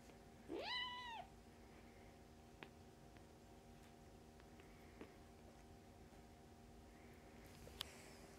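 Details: Foster kittens of the Humane Society of North Texas nursing on momcat Mummy and playing; a single sharp upswept mew opens, followed by steady low room hum and a few faint taps and rustles.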